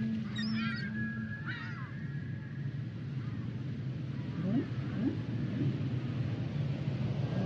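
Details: Humpback whale song with a steady low moan at first, then short rising swoops and upsweeping low notes, and a few thin high squeaks and chirps early on, over a constant underwater rumble.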